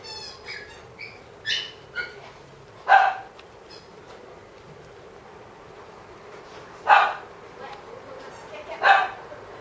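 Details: White female Maltese born 21 April 2016, kept at a pet shop, gives short high barks near three and seven seconds and a double bark near nine, after softer whiny, voice-like harmonic sounds in the first two seconds.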